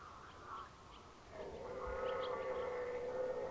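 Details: Distant red deer in the 2019 rut, Unteres Odertal National Park, giving one faint, drawn-out, steady moaning roar that lasts about two seconds against a soft, hissing background.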